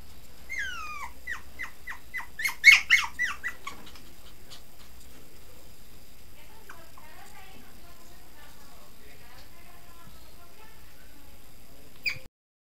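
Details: Male Pomeranian gives a quick run of high, squeaky yelps, each sliding downward, about a dozen within three seconds. Faint rustling and quiet follow, with one last brief squeak near the end.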